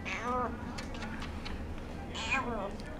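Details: Domestic cat at the Aicat cat cafe in Sendai, called Chako, begging from an odd spot: two short arched meows, one at the start and one near the end, with a person calling its name between them.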